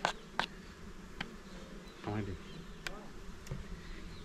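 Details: Honey bees at a small hive while honey is taken from it: a low, steady droning buzz runs throughout, broken by sharp clicks and knocks from handling and a brief voice-like sound near the middle.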